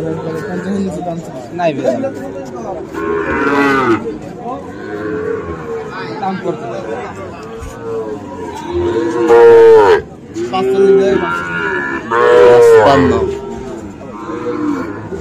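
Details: Sahiwal bull calves at Ambari cattle market on 13 November: two loud, drawn-out moos rise and fall mid-clip, with fainter lowing from other cattle and steady crowd chatter throughout.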